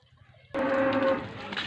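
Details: Jersey cow on a farm in Punjab, Pakistan, giving a loud, steady, low moo that starts abruptly and holds for about a second before trailing off into rougher noise.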